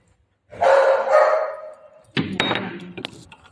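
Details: Golden Retriever puppy named Milo, at home while playing with mom: a drawn-out tonal whine of about one and a half seconds, followed by a short burst of harsher, broken barking sounds in a small indoor room.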